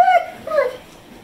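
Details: Pet pit bull Zeusy 'talking' indoors: two short tonal whine-howls, the first level then dipping, the second rising and falling, with clear harmonics, each under half a second, in a quiet room.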